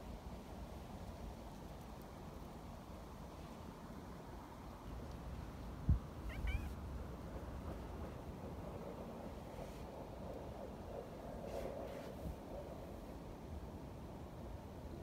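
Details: Young community cats, described as happy beside a milk-tea-coloured cat, give a few soft, brief meows: a short pair at six seconds and a fainter call near eleven to twelve seconds, over a steady low outdoor rumble.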